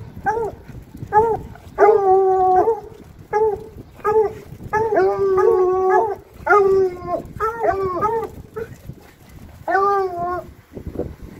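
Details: On a town walk, several Bluetick Coonhounds give a dense run of bawling howls, short yelps mixed with drawn-out level cries, nearly continuous over eleven seconds, some overlapping.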